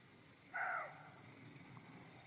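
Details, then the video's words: A young roe buck gives a single short, hoarse bark against a quiet background. "srnec brese"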